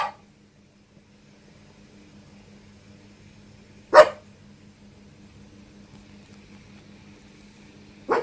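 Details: Pet dog at home in Yokohama, Japan, on an overcast evening, barking after its feet are washed when the family returns from work: three sharp single barks, at the start, near four seconds and at the end, separated by quiet room hum.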